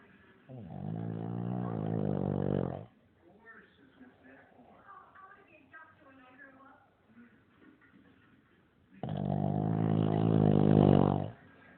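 A Shih Tzu snores in long, rumbling, rattling breaths with quieter breathing between them.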